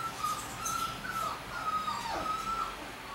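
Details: Indoors in the morning, the puppy Push whimpers in thin, drawn-out tones that waver and dip after he has climbed over a baby gate to sleep beside his mother Risk; a woman speaks softly throughout.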